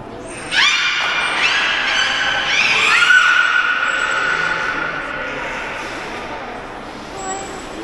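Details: Port of Nagoya Public Aquarium beluga, captive, voicing a sudden strong squeal with many overtones, a brief upward flick, then a sustained ringing tone that slowly dies away over several seconds indoors.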